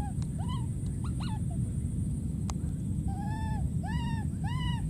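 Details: A wild baby monkey gives repeated high, arching squeals over a heavy, steady low rumble, screaming and calling for his friend.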